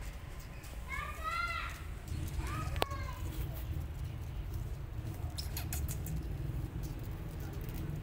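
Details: Goldie, a rescue kitten guarding her adopted siblings, gives two short high arched meows in the first three seconds over a steady low rumble. A sharp click follows, and faint patter is heard later.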